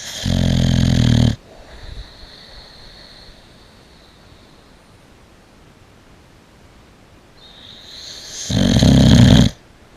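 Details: Boxer dog asleep in a bed, snoring very loudly: two long, rough, low snores about seven seconds apart, with quiet breathing between them.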